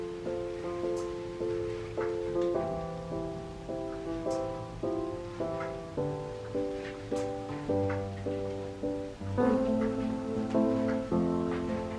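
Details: Gentle plucked instrumental music with soft repeated note patterns fills the recording, with no animal calls.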